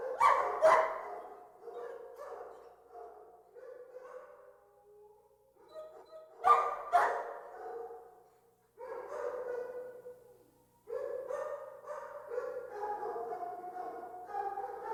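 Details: Many dogs in a kennel: bursts of overlapping barks at the start and around six seconds, between them a steady din of distant barking and whining from many animals, with brief near-silent gaps.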